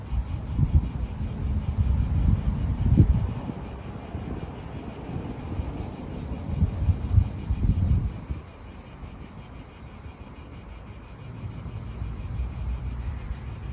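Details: Italian park cicadas keep up a high rhythmic buzzing, roughly three or four pulses a second, while strong gusts of wind rise and fall for the first eight seconds, then ease.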